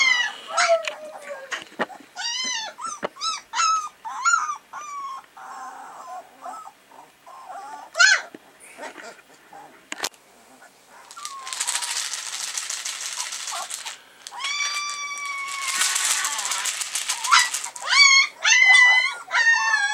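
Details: Three-week-old Alaskan Malamute puppies, recorded 27 October 2014, whimper and squeal in high, wavering, overlapping cries.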